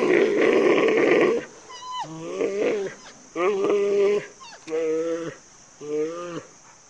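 A giant panda calls with short, nasal, goat-like bleats that waver in pitch and come in quick succession. A rougher, breathy burst opens the sequence before the clearer bleats follow.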